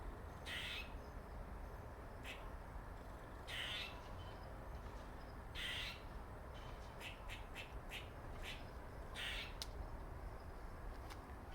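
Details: A male squirrel called Dirty Face, marked dark on the face and possibly Jerry's father, makes longer hoarse buzzy calls alternating with runs of short sharp clicks, over quiet steady background noise.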